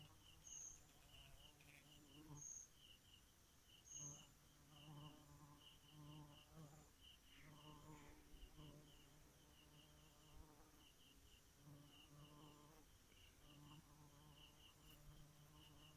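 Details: Night-time bee hum: a continuous low buzz that swells and fades slightly over sixteen seconds. Rapid high chirps run throughout, with short high whistles near the start.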